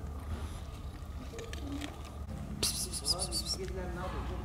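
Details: Stray kitten trailing a man along the street mews in quick, arched, tonal calls after a person's hissing "psst" sounds, with low outdoor rumble beneath.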